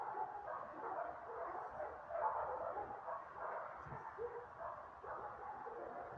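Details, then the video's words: A short stretch of nonstop barking from a group of mutts. Many mid-pitched yaps run together into a steady wall of noise. "Worthless mutts barking."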